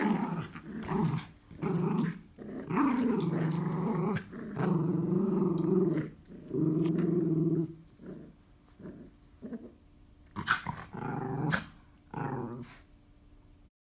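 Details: Two Miniature Schnauzers, a puppy and an adult, growling through a tug-of-war game indoors; repeated throaty growls in bursts of one to two seconds, later thinning into short snarls and scattered clicks.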